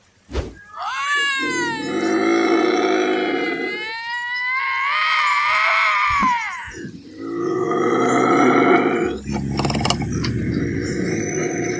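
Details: Screams of a bobcat: after a sharp click, a long, nasal, rising-and-falling wail with clear tonal bends, then a second harsh, hoarse howl, ending in rough, noisy cries.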